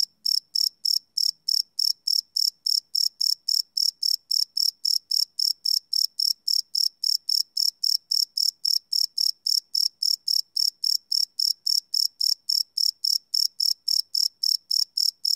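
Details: Night chorus of crickets captured live on a Sony PCM D100 recorder, a shrill pulsed chirp repeating steadily around three and a half times per second without a break.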